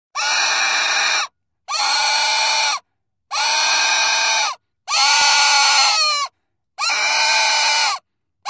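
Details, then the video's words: Domestic pig screaming in a series of harsh, loud squeals, each about a second long, repeated roughly every one and a half seconds with short silent gaps between. "Domuz Sesi +18 / pig sound"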